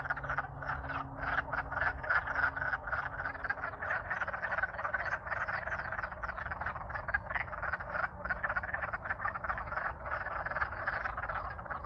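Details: Alaska wood frogs, thawed in spring and courting, singing loud as a crowd; unbroken rattle of short hoarse croaks from numerous callers, steady intensity across the stretch, soft low drone present.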